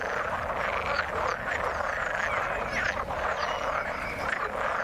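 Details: A steady mass of croaking frogs in the water, rapid pulsing trills overlapping throughout, with occasional sharper upswept chirps rising above the dense mid-pitched din.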